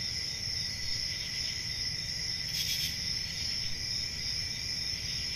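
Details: Steady high-pitched cricket trilling on a summer night in the forest, one short louder surge in the middle, and a low murmur underneath.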